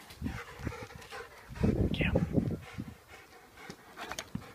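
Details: German Shepherd x Norwegian Elkhound cross dogs Opie, one year old, and black eight-month-old Boba Fett scrapping in the garden; a loud burst of deep growling mid-clip amid quieter grunts and panting.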